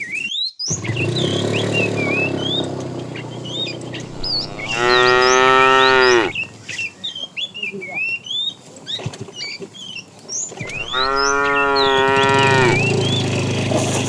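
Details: Tame cattle herd beginning morning activity, roaming and looking for food; two long, loud harmonic moos, each about one and a half seconds, with many small birds chirping and twittering throughout and a low rumble underneath.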